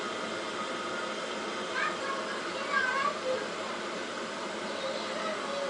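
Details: Hungry domestic cat begging to be fed indoors while ignored by its owner; a couple of short, rising, nasal meows near the middle stand out over steady room hiss and a person talking in the background.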